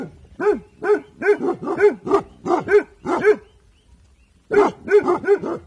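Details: Bhotia dog Dabu Goli barking on evening guard duty. A steady run of about eight sharp barks, a silent gap of over a second, then a fresh burst of four barks.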